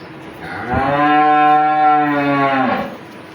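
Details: Dairy cows for sale at a cattle market in Bhangura, Pabna district, including Jersey, Holstein and Friesian types and pregnant cows; one long, steady, full-bodied moo of about two seconds that swells and fades, otherwise quiet.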